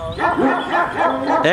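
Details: Short burst from big Kangal dogs barking aggressively at each other: four or five rapid, rounded, harmonic barks in quick succession, loud and close.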